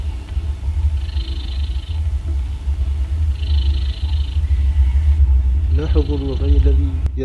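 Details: Domestic cat asleep in a funny posture, a continuous low rumble with airy breath sounds recurring every couple of seconds; a man's voice speaks softly over the final seconds.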